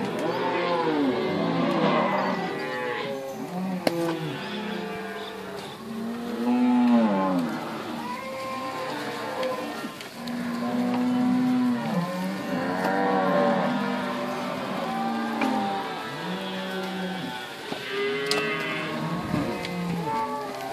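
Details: Herd of cows at Inverland and La Florida, some in good condition and some thin, with weaning calves among them; many deep, overlapping moos rise and fall continuously, drawn-out bellows layered one over another with no pause.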